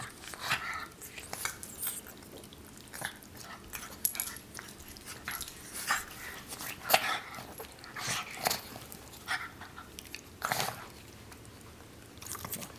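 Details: Truman the pug, staying with a dog sitter in Seattle, makes short breathy snorting and snuffling bursts at an irregular pace, about one per second, some louder and harsher than others, in a quiet small room.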